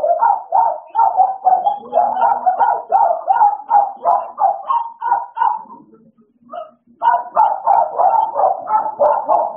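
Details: American Bully dogs Idol and Alice at playtime, giving quick, short barks about three per second in a steady run, a brief pause near six seconds, then renewed rapid barking.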